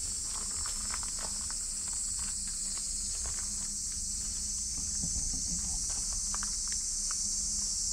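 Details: Loud cicadas singing near a micro pig: a steady, unbroken high-pitched hiss holds through the whole stretch, with light pattering footsteps and scattered clicks underneath.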